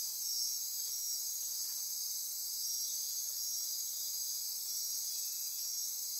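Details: After dark in the Osa Peninsula forest near Corcovado National Park, Costa Rica, many insects sustain a high, shrill, continuous trilling chorus with short brighter pulsed bursts repeating over a steady buzzing background.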